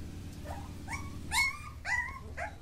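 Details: Mudhol Hound puppies from Mudhol in Bagalkot district, Karnataka. Soft, thin whines rise in pitch, about five short cries spread across a couple of seconds over a low, steady hum.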